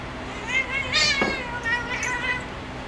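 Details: Spazzo the female cat playing on her perch: a few short, tonal meows bend up and down in quick succession, with a brief voice-like sound in the middle and faint household hum behind.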